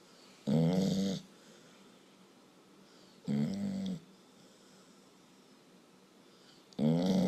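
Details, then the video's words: A very tired pet dog snoring indoors in a small room: three loud, buzzy, voiced snores, each under a second, coming roughly every three seconds with quiet breathing pauses between them. "Dog snoring!"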